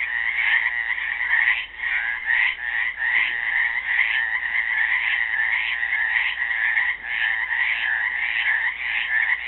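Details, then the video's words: Frogs trapped in a pool at Helix, Oregon, on Earth Day 2016, calling as a dense chorus of rapid, pulsed, rattling croaks that overlap continuously with brief dips in loudness, with no other clear sounds. "GUITAR AND FROGS SINGING"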